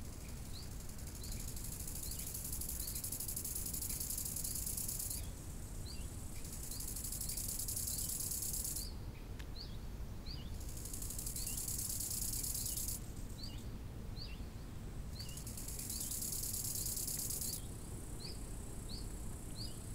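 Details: Summer lakeside crickets trill in long, high, hissing bursts of about three to five seconds separated by short gaps. Quick bird chirps repeat throughout, and a constant low murmur of wind lies underneath.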